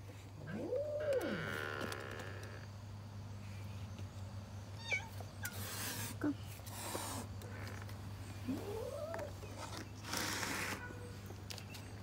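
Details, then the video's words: Feral cats asking for food: two drawn-out arching meows, one near the start and one after eight seconds, with a few short squeaky calls between, over a steady low hum and scattered rustling and clattering noises. "Feral cats asking for food"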